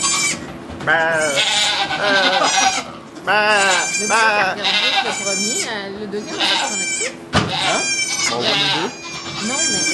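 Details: Bleats from goats as two kids are born in a sugar shack in Quebec, Canada, captured with an iPod Touch 4G. Several wavering bleats, some rising and falling, overlap with steady French conversation.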